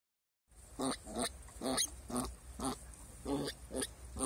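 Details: Bottle-fed Turopolje piglets in a rabbit run, recorded 2 July 2018; short rhythmic grunts repeated roughly twice a second, steady and even, with faint background hiss.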